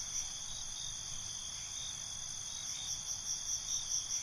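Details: High ringing cricket song at night, a constant shimmering trill with a faster run of pulsed chirps growing louder near the end.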